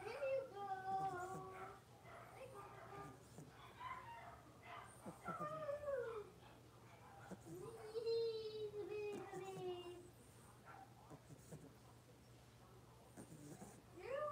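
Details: Six-week-old blenheim Cavalier King Charles Spaniel puppies, a litter of five in an indoor home puppy pen, give high whining yelps that rise and fall in bursts, several overlapping calls through the first ten seconds, over a steady low hum.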